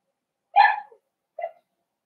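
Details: Four-week-old Cavalier King Charles Spaniel puppies in a home puppy pen, being socialized with other dogs and offered puppy mash; one sharp, high yelp followed by a softer, shorter yip in a quiet room.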